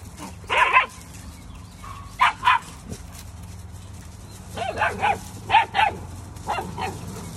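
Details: Labradoodle puppies yapping in short high-pitched bursts, often in pairs, with a brief whine between and a low steady hum underneath.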